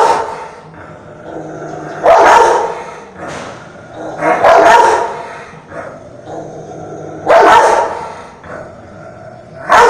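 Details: A French mastiff gives deep, harsh barks in loud bursts every two to three seconds, aggressive toward a rottweiler.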